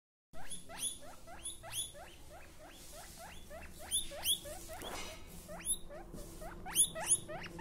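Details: Newborn baby guinea pig: rapid series of thin, high, upward-sweeping squeaks, several per second, some overlapping as if from more than one caller, over low background rumble.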